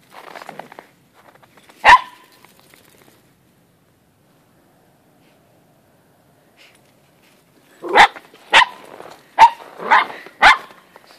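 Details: Lena, a 13-week-old Moyen Poodle puppy, plays indoors with her elderly, patient terrier brother. A single sharp bark comes first, then a long quiet gap, then a quick run of five loud, uneven barks near the end.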